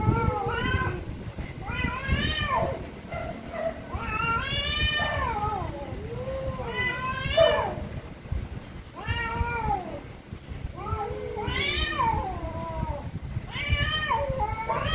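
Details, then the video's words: Very angry cats meowing very loudly, sounding a run of arched, rising-and-falling meows and a few lower wavering moans, spaced every second or two over a constant background rumble. "VERY ANGRY CATS||CAT MEOWING VERY LOUDLY"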